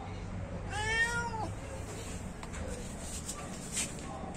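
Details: Domestic cat, hungry and waiting for food, utters a single clear meow of under a second that rises and falls, followed by quiet room noise and faint clicks.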